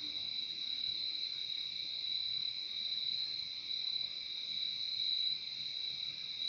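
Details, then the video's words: Crickets at night: a continuous high, shimmering trill held steady throughout, with a fainter band just below it and no other clear sounds. "Relaxing sound of crickets"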